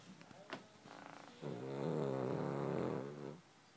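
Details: Charlie the dog snoring: a few soft clicks and breaths, then one long, steady, buzzy rattling snore lasting about two seconds before fading out.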